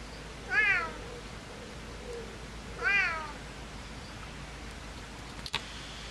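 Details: A Siamese cat in winter in the Netherlands gives two loud, drawn-out meows about two seconds apart.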